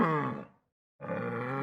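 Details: Yak giving a low, drawn-out grunting groan that is rich and harmonic, steady in pitch, and lasts under a second after a short pause.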